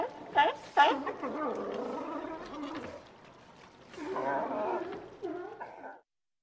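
Two loud, abrupt barks open the sequence, then a sea lion carries on with low, throaty, wavering growls. After a brief lull, a second bout of gravelly, undulating calls rises and fades.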